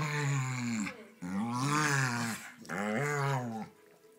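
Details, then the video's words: Staffordshire Bull Terriers Gwendolen and Ernest, pet dogs, play fighting indoors; three drawn-out, throaty growling grumbles, each about a second long, bending upward and then sliding down, with short pauses between them. "My staffys play fighting"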